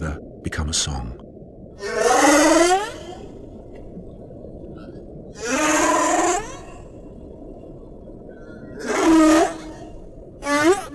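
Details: Humpback whale underwater calls: four drawn-out, harmonic moaning cries, each near a second long, bending and sweeping in pitch. They come roughly every three to four seconds over a steady low hiss, with a short clattering burst at the start.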